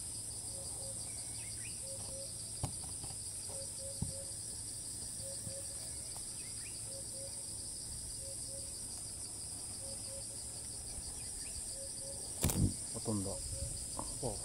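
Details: Cicada in Thailand that keeps calling after each flight to a new spot, recorded from afar. Sustained high shrill buzz, background low piping notes about every second, occasional taps and a loud handling clatter near the end.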